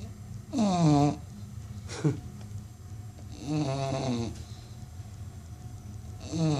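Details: Snoring American Bully, one of the loudest snoring dogs in the world: rattling, wheezy snores with a wobbling tonal whine, a short snort between them, then a long drawn-out breath, over low room hum.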